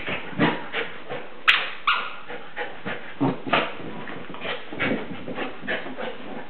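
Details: West Highland White Terrier producing short yelps and whimpers, a sharp loud note early on followed by a quieter scatter of clipped, breathy yips.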